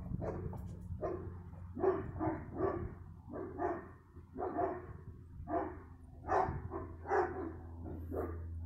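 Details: Dog barking on 15 February 2020 in an excited run of about a dozen rough barks, some in quick doubles or triples with short pauses between bursts, while a steady low hum continues underneath.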